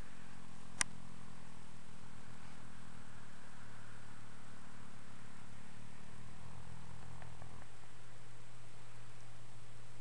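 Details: Ten-year-old registered Fox Trotter named Dream, relaxed and dozing in hay piles on an afternoon, gives a steady low harmonic hum for about seven seconds, then shifts to a lower, flatter drone; one sharp click near the start.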